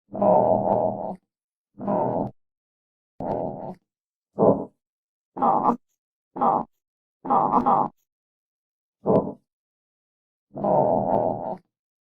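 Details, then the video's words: Armadillo giving nine short, harsh, low grunting bursts, each under about a second long, separated by clean silent gaps across twelve seconds, with no other sounds. "Real Armadillo Sounds"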